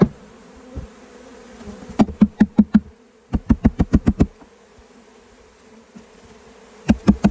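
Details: Honey bees in a swarm being caught in California hum with a low, continuous buzz. Bursts of five or six sharp rapid knocks break in three times.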